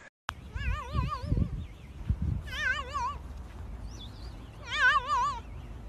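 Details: Domestic cat indoors giving three drawn-out, wavering meows with a strong vibrato, each about a second long and spaced roughly two seconds apart, over low thumping and handling noises.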